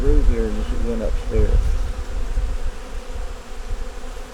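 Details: Honey bees in a nuc colony with a yellow queen, opened for a winter inspection, hum in a steady low drone that carries on after a man's brief speech at the start.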